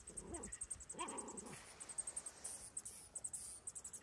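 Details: A Miniature Schnauzer facing a mouse gives two short, arching whines over a steady high-pitched ticking.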